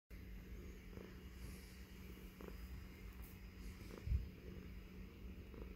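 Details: Baby Girl, a female tuxedo house cat, purring while nestled in her owner's beard; a low, rumbling, continuous purr with a faint steady hum beneath and a brief louder thump near the end.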